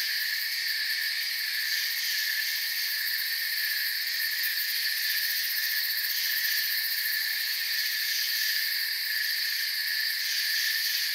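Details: A forest cricket chorus of soft, continuous chirping, the high buzzy trills layered and unchanging throughout, a steady wash of insect sound with no pauses, birds or people.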